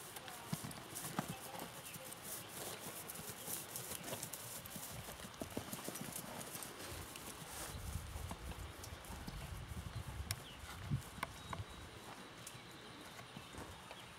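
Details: Missouri Fox Trotter named Cherry, ridden after his saddle was tightened, making steady low thudding hoofbeats in an irregular clip-clop rhythm, with people talking now and then and faint rustling outdoors.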